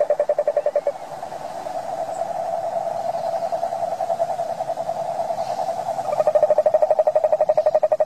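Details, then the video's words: Toad giving a continuous fast pulsing trill at a mid pitch. It is strong at the start, softer and blurred in the middle, then loud and crisply pulsed again near the end. "Som de sapo - frog sound"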